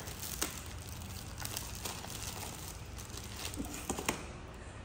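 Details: Quiet indoor crinkling and tearing with faint rustles and a few soft taps, no animal cry heard.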